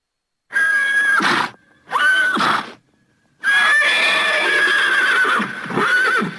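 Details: A Thoroughbred horse (Equus caballus) gives a series of loud, quavering neighs with pauses between them.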